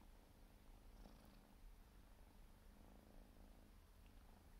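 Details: Siberian forest cat kitten, four months old, grooming itself while it purrs. The continuous deep, even drone carries a few quiet licking sounds over it.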